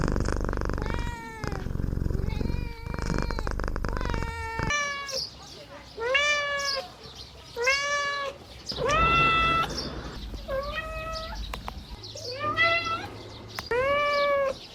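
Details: Playful kittens mewing in a run of short, arched, harmonic cries, many overlapping and rising then falling, after an opening few seconds of broadband rumble and low noise.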